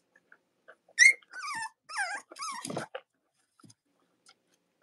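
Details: Cavalier King Charles Spaniel puppy from Robin or Myra's litter indoors: a loud sharp squeal followed by several wavering whines that dip and rise, then near silence with faint rustles.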